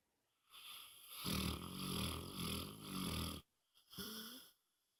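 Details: Deep, fluttering snore from Moses the dog, one long rough rasping breath of about two seconds with pulsing throat vibration, followed by a brief catch and a shorter nasal snort with a thin whistling tone.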